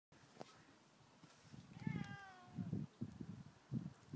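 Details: Domestic cat locked out on a lower roof after walking down a ramp, unable to climb back up; one drawn-out meow that falls in pitch, followed by a man speaking German and soft knocking sounds.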